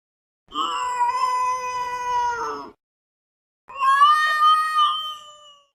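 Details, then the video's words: Domestic cat making an unusual, weird vocalization: two long, steady, harmonic wailing calls, each about two seconds, separated by a pause of about a second, the second call slightly wavering and fading at its end. "this weird sound is from a cat"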